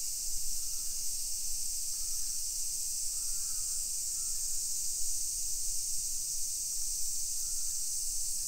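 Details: Summer cicadas in a hillside residential neighbourhood of Nisshin city near Nagoya, Aichi, Japan, at 1 PM on 28 July 2021: a steady, unbroken high buzzing chorus, with a few faint short bird notes and low street rumble beneath.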